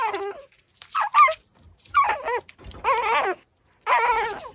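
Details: Cute Pomeranian busy with a raw pork backbone gives wavering, whiny whimpers and brief yips in separate bursts under a second long, in a small quiet room.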